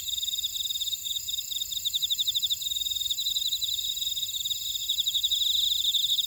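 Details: Buckwheat-field insects on volcanic Jeju Island, South Korea, at Ora-dong: rhythmic quick chirping, strengthening toward the end, beneath unbroken thin ringing trills and a soft low rumble.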